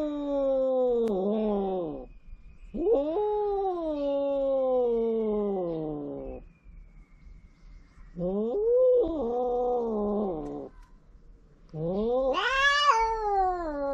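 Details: On a cat island in Japan, stray cats mating: four long wavering yowls separated by short silences, each swelling and bending in pitch, the last climbing highest into a shrill wail.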